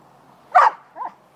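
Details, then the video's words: A playing puppy gives one sharp, high bark, then a softer, shorter yelp about half a second later. "Puppies play"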